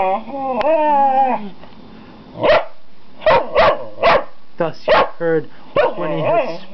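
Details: Pet dogs Gwenny and Rhett, tail wagging, give a run of short, sharp barks, about six in loose clusters, after a person's high cooing voice at the start; talking resumes near the end.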